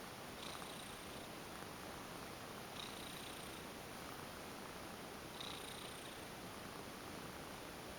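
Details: Affectionate female domestic cat, once a stray, purring steadily while massaged indoors; a low, unbroken rumble with three gentle hissing strokes of the hands spaced a few seconds apart.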